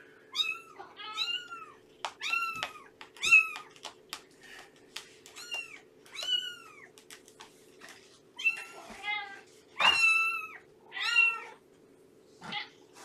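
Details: Morning visit to a Purrfect Pals foster home holding Shelby, an estimated two-year-old formerly abandoned cat, and several of her roughly three-month-old kittens. High, thin arched mews are repeated rapidly, about a dozen in quick bursts, over a steady low hum.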